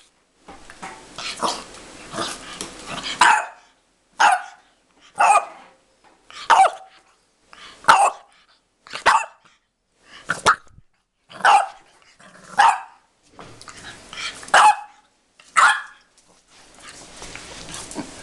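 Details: Angry French Bulldog puppy barking: about a dozen short, sharp yaps spaced roughly one second apart, preceded by a noisy, scuffling stretch with low growly sounds in the first three seconds.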